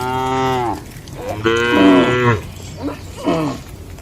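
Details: Cattle mooing at night in a traditional village shed: a long harmonic moo, then a louder drawn-out one, followed by two short, rising grunting lows.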